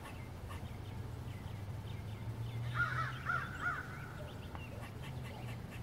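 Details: At sunset in waist-tall grass, an eastern gray squirrel gives a short run of harsh, nasal, caw-like calls over a low steady hum. A nearby brown-headed nuthatch seems to notice something too.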